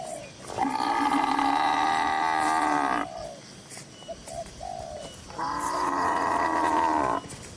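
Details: Two drawn-out, rich moos come from tame cattle in a crowded livestock barn among dozens of cows, the first about two and a half seconds long and the second shorter. Doves coo softly in the pause between them.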